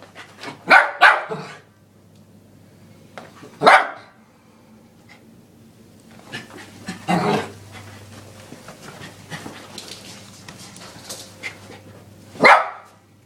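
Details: Ten-month-old male Lhasa Apso x Maltese dog barking indoors at a running vacuum cleaner, recorded on an iPod: sharp single and double barks, spaced out over several seconds, over a steady low vacuum hum.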